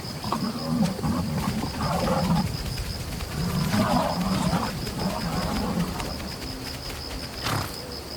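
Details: Lion on the Serengeti plains, confronted by a counterattacking buffalo herd, gives deep rumbling growls and roars in repeated bursts, with a steady high whine throughout and scuffling noise.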